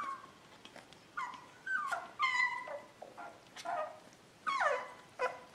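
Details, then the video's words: Beagle puppy whimpering in its sleep, with high whiny yelps that slide downward, arriving in uneven bursts separated by brief quiet gaps, some notes louder and strained, indoors with no other clear sounds. "Cute Beagle Puppy Sleeping Lovely Voice"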